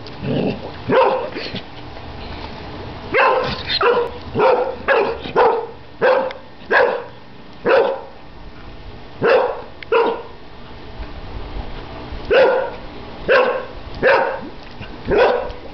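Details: Airedale Terrier barking at bubbles on his first birthday; a long run of sharp, even barks, roughly one or two per second, with brief pauses between bursts.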